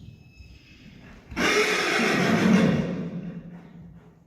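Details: Friesian horse Reintje fan 'e Goëngamieden, ridden in shoulder-in and travers work on July 17, 2019, gives a loud breathy blast lasting about two seconds that fades out, after a quiet start with faint hoof sounds.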